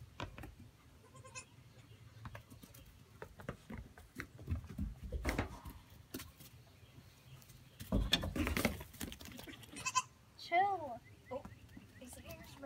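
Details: Baby Pygmy goats playing around: faint wavering bleats early on, then a clearer, bending, quavering bleat about ten seconds in, amid scuffling, thumps and low background rumble.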